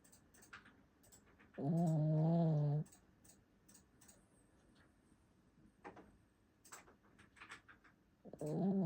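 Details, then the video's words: Pet dog snoring while asleep: a loud, droning, tonal snore lasting about a second, with a second one starting at the end, and soft clicks and rustles in the quiet gap between breaths. "My dog snoring while sleeping!"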